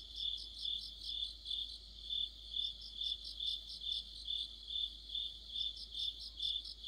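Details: Autumn insect orchestra of crickets and companions by a streetlamp: high, ringing chirps pulsed regularly about twice per second over a continuous shimmering drone of many overlapping singers.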